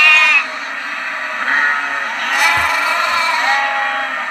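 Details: Sheep and lambs bleating: one loud, high, harmonic bleat opens, then a dense overlapping chorus of many bleating voices carries on without a break to the end.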